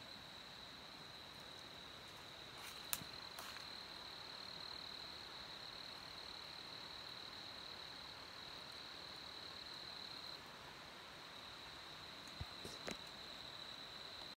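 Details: A steady, high, unbroken droning hum of Brood IX 17-year periodical cicadas molting in an apple tree on May 31, 2020, with a few sharp clicks.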